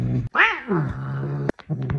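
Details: Angry pet cat giving a single short, harmonic cry that rises then falls, with a steady low hum in the background and a few sharp clicks.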